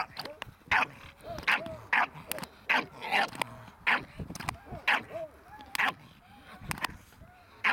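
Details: Staffordshire Bull Terrier puppy Ares barking during protection training: about a dozen punchy, short barks at an uneven pace, with soft whining yips and a handler's low voice filling the gaps.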